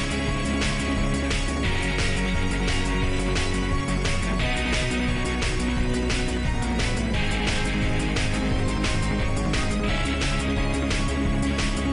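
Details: Loud, dense background music with a steady beat and full band sound throughout, no animal voices.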